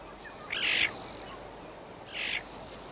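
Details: A captive-raised caracal (Caracal caracal) being reintroduced in South Africa gives two brief, high, raspy chirps. It is a greeting contact call between father and a female kitten returning from exploring, a call these caracals never made in captivity.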